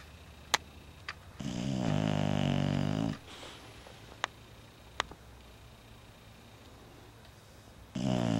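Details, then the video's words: Sleeping Bulldog BeeBee snoring indoors, dated 10/21/11: a loud, rough, buzzy inhaled snore of nearly two seconds, a quiet pause with scattered ticks, then the next snore starting. "BeeBee Snoring"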